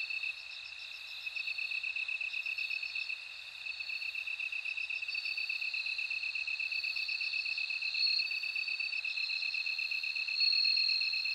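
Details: Bell cricket song of long, bright ringing tones drifting slightly in pitch, heard over a dense, rhythmically pulsing high insect chorus. Nothing else is audible.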